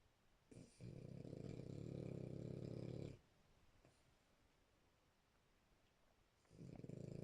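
A French Bulldog snores loudly, each long rattling breath low and rough, with a quiet pause between.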